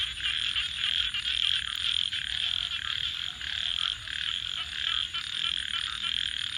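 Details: Dense chorus of frogs calling at night by a campfire: steady high trilling that rises and dips in loudness every second or so, one sharp crack heard early on.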